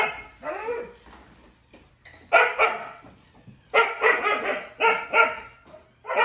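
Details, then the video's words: Siberian huskies Juno and Echo bark at Dash, a toy robot, unsure whether scared or playing; a softer yelping call opens, then loud rapid barks come in runs of two or three, with brief quiet spells between. "Dogs vs Dash the Robot"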